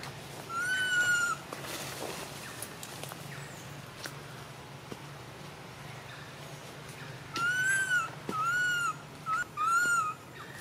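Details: A poor little baby monkey, neglected by its mother, cries on and on: one long whistled wail, a pause with faint rustling, then a burst of four arched cries in rapid series.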